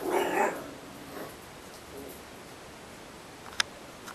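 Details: Ricky, a homeless puppy, lets out one short, breathy bark at the start, followed by a couple of faint softer calls fading away; a quiet room with a sharp click near the end.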